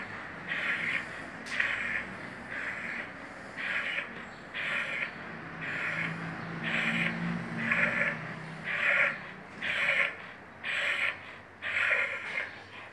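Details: A vizsla breathes noisily with a raspy, snorting rasp about once a second, a breathing problem that is probably heart disease or pharyngitis.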